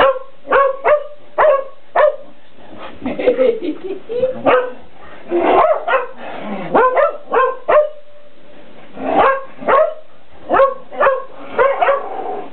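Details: Shetland Sheepdogs playing indoors with a cat toy, one ten years old and more active, the other nine; rapid bursts of barking through most of the stretch, with scuffling and a voice mixed in the middle.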